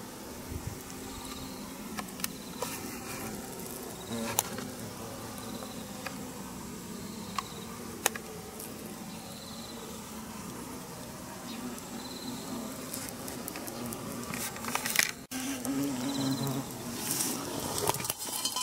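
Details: Yellow hornets (Vespa simillima) flying in and out of one spot in a weed-covered bank in Ono town, 18 September 2023, during nest removal; a low, steady wing hum, with repeated high insect chirps and scattered clicks and knocks.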